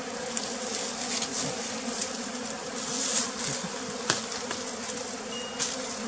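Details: Pearl's bee, one individual found at a bee farm in flooded forest by West Tonle Sap Lake, Cambodia, giving a continuous buzzing hum that swells and fades slightly, with a few faint clicks and taps over it.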